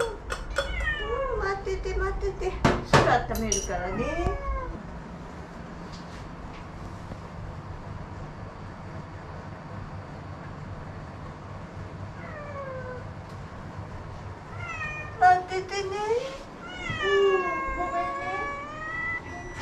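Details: Two former rescue cats, Ace and Lily, adopted in Sendagi, meow to demand their food. A burst of loud, arching, harmonic meows is followed by a quiet stretch, then another run of rising-and-falling meows. Faint kitchen clatter and voices sit underneath.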